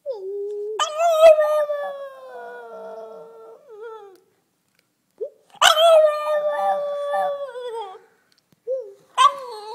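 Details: A relaxed two-year-old French Bulldog vocalizing as if conversing: three sustained howled notes, each starting with a sharp yelp and holding a steady, slightly falling tone for several seconds, separated by short silences.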